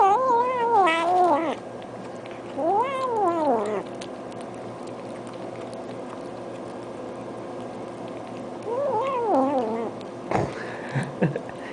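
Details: Indoor domestic cat producing a series of strange sounds while eating: three separate arching, warbling moans, each rising then falling over about a second, spaced by quiet gaps, with a few faint clicks near the end.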